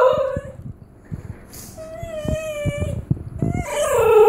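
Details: A female Basenji/Whippet mix yodels, as she does when someone stands by the treat jar without offering a treat: drawn-out wavering tones that rise and break, rich with overtones.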